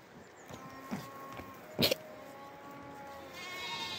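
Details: Goat kids bleating: faint, tonal, harmonic bleats near the start and again mid-clip, with a brief loud knock in between and a steady background hiss.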